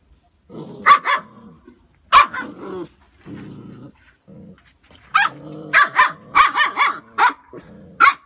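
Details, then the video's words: A 2.5-month-old Phu Quoc Ridgeback puppy showing early hunting instinct gives sharp, high yapping barks in short bursts, some doubled, mixed with lower whiny growls, clustering toward the end with several rapid barks. "Chó Phú Quốc thể hiện Bản năng săn bắt từ khi còn rất sớm khi mới 2,5 tháng tuổi"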